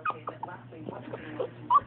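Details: Chihuahua making a sound likened to a baby alligator: short squeaky yelps and grunting chirps scattered through the clip, ending in a louder squeal, with a soft steady hum and a person's voice nearby.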